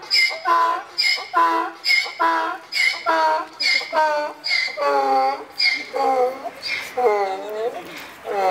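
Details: Donkey at Kharkiv Zoo, said to be bored and missing someone, braying over and over in a rhythmic series of harsh, harmonic see-sawing pulses roughly once a second, growing longer and more drawn-out toward the end.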